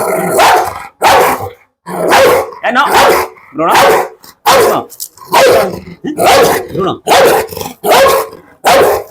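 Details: Large, heavy pit bull with a fierce temper barking at a visitor: a long, steady run of about a dozen harsh, throaty barks, each under a second, repeated at a regular pace.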